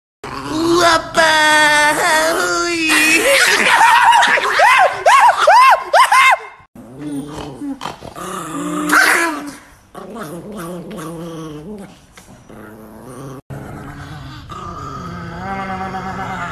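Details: Angry, aggressive pet Chihuahua named Nikki gives high, wavering snarling growls in rapid irregular bursts, strongest in the first six seconds, with further growls later mixed with a person's talking.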